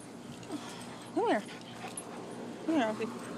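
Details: A poodle and a shepherd playing in a back yard: two short arched whimpering yelps, rising then falling, about one and a half seconds apart, over low background noise and a person's voice.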